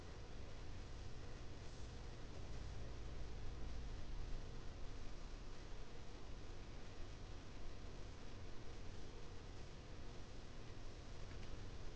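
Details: Quiet, even hiss of indoor room noise with a faint low rustle, and nothing else audible.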